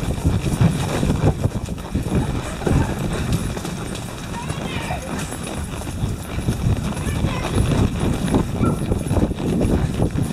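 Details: Hoofbeats of four ridden Tennessee Walking Horses on a twisting trail in Brenham, Texas, as a storm hangs overhead. Continuous quick clip-clop with people speaking throughout and a brief brighter sound midway.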